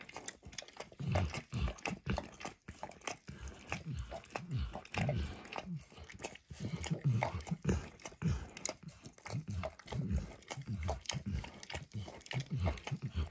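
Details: Enthusiastic licking by Max the dog on a bumpy orange food mat, recorded close with no voices; heavy, wet, low laps come in rapid bursts separated by brief silences, mixed with crisp tongue clicks.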